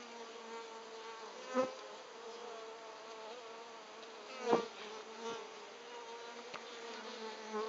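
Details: Japanese honey bees humming in a steady, low, droning buzz with rich layered overtones. Two brief louder swells come at about 1.6 and 4.5 seconds, with a few soft knocks, over a faint constant high-pitched whine.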